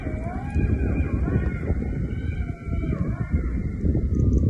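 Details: Golden jackals howl around a campsite at night, wavering high tones over a steady low rumble and crackle of a campfire stove.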